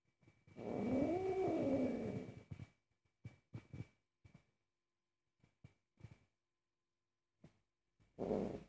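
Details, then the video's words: Very angry pet cat while its owner cooks: a single short bent meow with rough growly edges, followed by soft kitchen clicks and taps, and another brief meow at the end. "Angry cat forbids me to cook"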